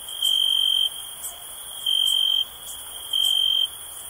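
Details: Cricket chirps meant to calm and unwind, with three strong high-pitched pulsed trills of about half a second, separated by roughly one-second pauses filled with a soft steady shrill hum.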